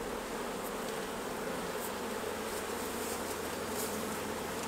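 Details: Steady buzzing of honey bees swarming around hives as honey is taken off, a thick continuous drone holding level from start to end with no pauses.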